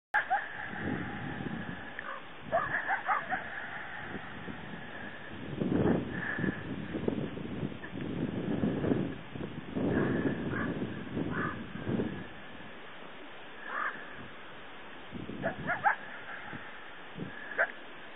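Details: Wild coyote bark-howling at something unseen, suspected to be a mountain lion: repeated harsh, harmonic barks and wavering howl notes come in bursts, with rough low broadband noise between them.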